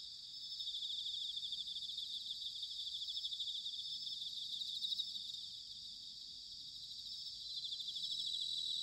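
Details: Autumn insect night in Sanuki, Chiba, Japan, bell crickets filling the air with a dense, high, ringing trill, rapidly pulsed and fairly continuous, over a low murmuring background rumble.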